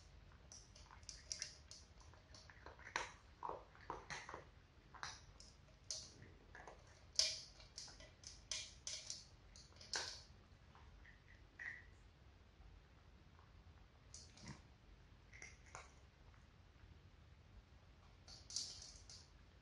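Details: Four cats, two adult sisters and two kittens, eating dry cat food indoors: crisp, irregular crunches and clicks in quick bursts with short pauses, some louder bites standing out, in a quiet small room.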